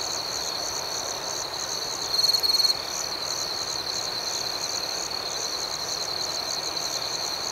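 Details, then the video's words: Rhythmic cricket chirping after dark: a sustained shrill, pulsing trill with one brief, louder flourish in the early part. "Soothing Cricket Sounds"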